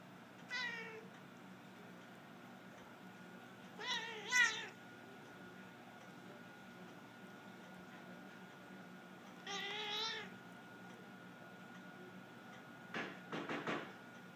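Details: An 18-year-old cat refusing to share her bed with a two-year-old cat gives three bursts of wavering, harmonic growling yowls several seconds apart, then a short cluster of clicks near the end, over a steady indoor hum.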